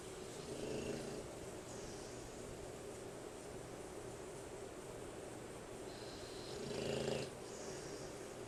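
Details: Lex, a male American Bulldog, snoring while asleep, his snoring said to be very loud: two low, rasping snores about six seconds apart, the second stronger, under a steady background hiss.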